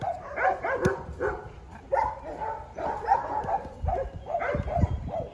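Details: Belgian Malinois during advanced obedience and protection training for PSA; a series of short, tonal whining yips rising and falling, bursts every second or so, with low thumps and handling noise underneath.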